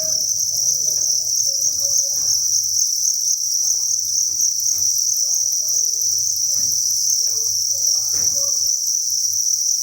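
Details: Crickets in a cricket breeding facility at a cricket farm, thousands chirping together as a dense, steady high-pitched chorus, with faint scattered knocks and rustles beneath and a low hum throughout.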